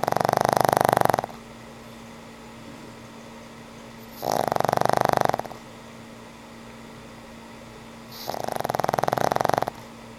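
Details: Sleeping old pug Frank N. Stein snores away in three buzzy, vibrating bursts spaced about four seconds apart, each lasting around a second, separated by quiet pauses over a low background hum.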